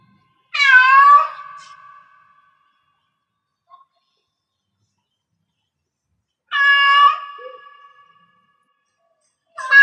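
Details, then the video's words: Domestic cat in heat producing widely spaced meows: a strong downward-sliding yowl with a fading tail, a second similar call several seconds later, and the start of a third at the end. "Cat Meow Cat in Heats Sounds"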